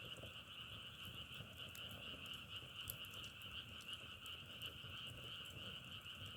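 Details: A steady chorus of frogs drones in a rapid pulsing trill on two pitch bands, with sharp brief crackles scattered throughout.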